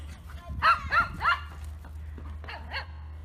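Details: A dog barks in a quick run of three yaps, pauses briefly, then adds two more, over a steady low hum.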